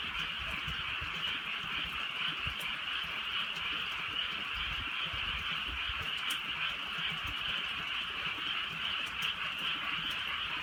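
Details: Many frogs chorus through a light rain on a rural night, their overlapping croaks merging into an even, buzzing drone. Scattered raindrop ticks and a soft low rumble sit underneath.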